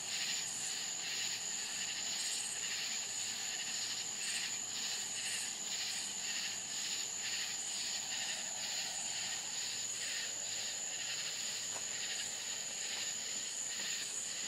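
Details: Crickets calling after dark in the Florida countryside, a constant high ringing note with rapid, regularly pulsed chirping layered densely over it, steady for the whole stretch.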